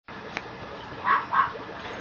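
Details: Female Mame Shiba puppy at a breeder's kennel in Japan, giving two short, rough yips in quick succession, about a third of a second apart, over a low steady room hiss.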